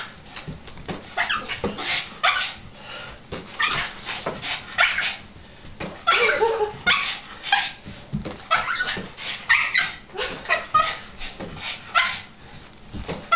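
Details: Frustrated at a balloon game she is left out of, pet dog Shirley lets out rapid bursts of high-pitched yips and short barks, many in quick runs, mixed with whiny rising notes and occasional balloon thumps.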